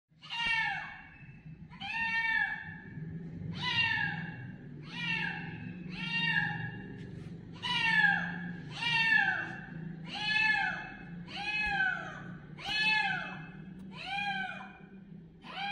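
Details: Kitten calling loudly with a steady run of high, harmonic-rich meows, each sliding downward, repeated roughly every one and a half seconds over a low continuous hum.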